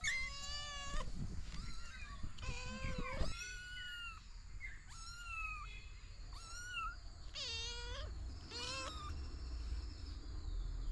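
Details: Three kittens and their mother cat found in a house storeroom; repeated clear harmonic meows, each about half a second to a second long, some rising in pitch, coming every second or two over steady low hum.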